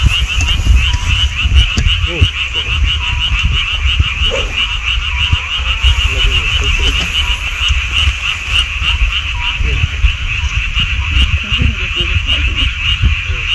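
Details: Frogs calling in the mountains beside a golf course, a dense steady chorus of rapid pulsed trills layered continuously, with a heavy low rumble of wind or distant noise underneath throughout.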